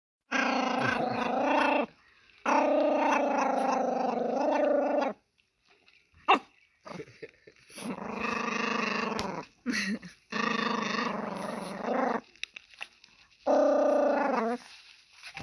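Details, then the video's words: Small Pomeranian growling while eating, guarding its food; long rumbling growls lasting two to three seconds each, rough and harmonic-rich, separated by brief pauses with chewing and crunching noises between. "포메 쪼꼬미 댕댕이 으르렁... 먹방"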